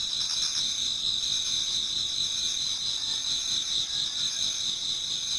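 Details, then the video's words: Insect chorus in a Japanese garden in autumn, near dawn, many singers together: unbroken high-pitched ringing trills layered over a faint pulsing chirp that repeats roughly twice a second. "Autumn Insects voice Towards dawn"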